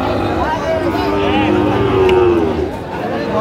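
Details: At a Bangladeshi cattle market in Mymensingh, April 2025, a Sahiwal bull calf lets out a single smooth, sustained moo lasting about a second, with traders' voices and crowd noise around it.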